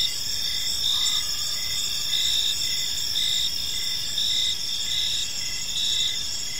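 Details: Crickets chirping on an evening in a peaceful park: a steady shrill high trill layered with short, evenly spaced lower pulses repeating about twice a second. A faint brief rising sound appears near the first second, over soft background noise.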